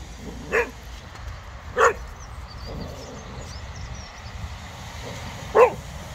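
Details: Casper the Cocker Spaniel reacting to a very small snowman in a park with three spaced barks, two close together and a louder one after a pause, over steady low traffic-like rumble and faint chirping.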